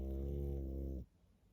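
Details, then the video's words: Pug asleep, giving one steady, deep, droning snore with a rich buzz that lasts about a second and then stops abruptly into quiet. "Мопс и сон😴Храп"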